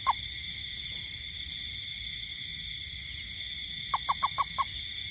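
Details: Toad calling in a garden at night during rain: one short low note, then after a long pause a quick burst of five short, clipped notes. A steady, high, continuous insect drone runs throughout.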